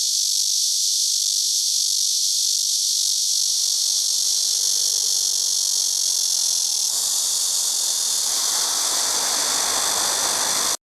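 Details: Chorus of black cicadas: a dense, continuous, loud high-pitched buzzing drone that holds steady without breaks, with a slight shift in texture partway through.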